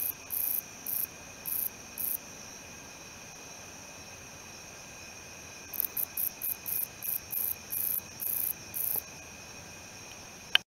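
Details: Calling male wingless meadow katydid (Odontoxiphidium apterum): a few high buzzy bursts, a pause of several seconds, then a quicker run of about ten short rasping pulses, over a faint constant electrical hum.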